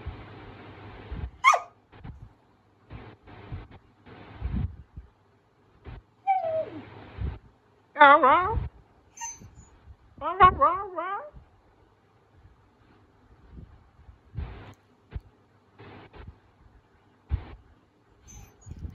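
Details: An excited Siberian Husky, waiting for the last bite of food, howls in wavering, rising-and-falling yodels between a person's brief words.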